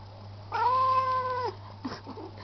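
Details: Indoor pet cat gives one long level meow lasting about a second, flat then dipping at the end, followed by faint short murmurs and a steady low hum.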